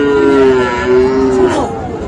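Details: Cattle, young Sahiwal bulls and heifer calves, being bought by a farmer in Cumilla, Bangladesh, on 13 September: one steady mid-pitched moo held for about one and a half seconds, then fading, with faint voices and background noise beneath.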